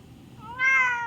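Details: Pet cat perched on a washing machine indoors, meowing back at its owner: one drawn-out tonal meow that starts softly, swells and holds level for about half a second, rich in harmonics, in a quiet small room.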